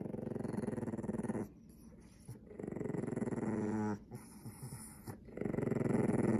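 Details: Pekingese dog growling angrily when its toy mouse is about to be taken during play indoors: long, rumbling, buzzy growls lasting one to two seconds, broken by short pauses.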